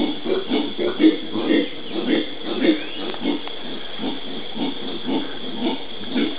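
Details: Howler monkeys (genus Alouatta), Pantanal, Brazil, 13 January 2011: a low, throaty grunting series, roughly two pulses a second, uneven in loudness, over a steady background hiss with one faint rising whistle.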